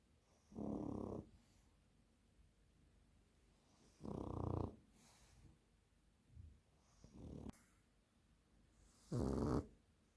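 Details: Sleeping dog snoring like a piglet: heavy, low, rasping snores about every three to four seconds, with two softer snorts in between, indoors and otherwise quiet.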